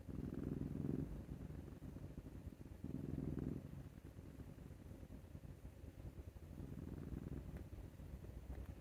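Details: Maru, a male Scottish Fold cat, snores like an old man as his neck is scratched. Three low, throaty rasping breaths come roughly every three seconds over a faint indoor hum.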